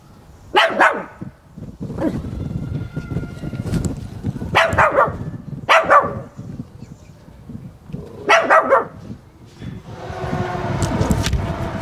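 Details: After playing hide-and-seek with the camera, Zoe, a male Chihuahua, barks with enthusiasm. Scattered high yaps ring out every second or so over low rumbling and handling noise, and a hissing rustle closes the sequence.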